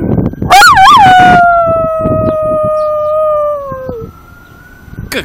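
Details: Pembroke Welsh Corgi bitch howling on cue during training, with praise spoken just before: wavering rising onset followed by a sustained harmonic howl gently descending for about three seconds, then silence.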